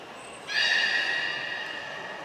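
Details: A beluga in an aquarium training session at Port of Nagoya Public Aquarium, July 2021: a brief high whistle tone, then a strong harmonic, buzzy call starting abruptly and slowly fading over under two seconds.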